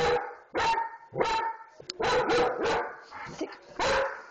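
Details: Dog giving loud, clipped barks about every half second, some coming in quick pairs, with short gaps of quiet between them.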